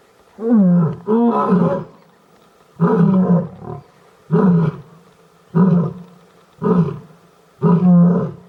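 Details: A lion in Gir National Park (Sasan Gir forest), filmed during mating, gives deep, throaty roaring grunts in short bursts, repeated about every second or so.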